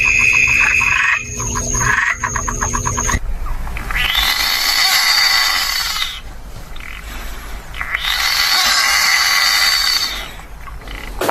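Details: Frogs calling: a short stretch of rapid, clicking pulsed croaks gives way to a dense, buzzy chorus that swells and fades in long waves lasting several seconds each, with a low steady background rumble.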